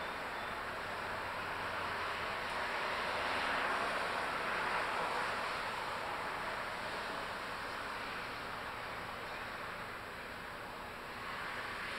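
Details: Steady broadband rushing like wind or distant surf fills the whole stretch, with a faint high tone throughout and no clear animal calls.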